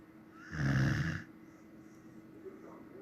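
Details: A Samoyed asleep lets out one deep, rattling snore of about three quarters of a second, rich and buzzy with low layered tones, followed by near silence in a quiet room.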